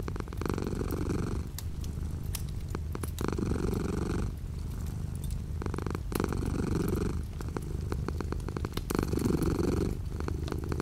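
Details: Domestic cat purring with light rain beyond the window; long purr phrases of around two seconds alternate with brief pauses, the rumble low and steady under soft rain noise.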